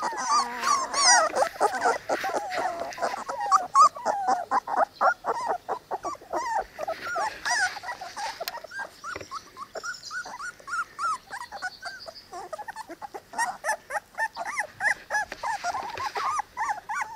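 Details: Three-week-old Cane Corso puppies of Zola and Ziko, outside in fine weather, produce a long stretch of short, quick whimpers and yips mixed with dense rustling and scrabbling clicks, the squeals growing thinner toward the end.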